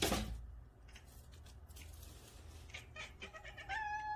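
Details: Cats in a nine-cat home chatter at a new feather toy, with soft clicking sounds followed by a short, clear chirping mew in a quiet room.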